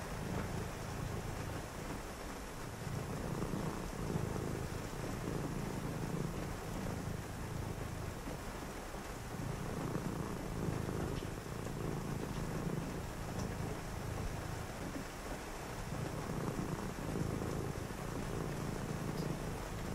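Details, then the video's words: Purring cat heard on a rainy night, a continuous low throaty rumble broken by a few brief pauses, under steady rain noise with faint distant rumbles. "a purring cat"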